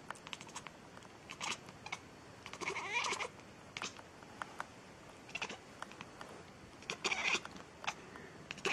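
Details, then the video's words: Domestic cat giving brief, scattered meows among sharp clicks and taps, with the fullest drawn-out mew near the middle and another late burst. "Cat Meowing Funny , Non Stop in 10 Minutes"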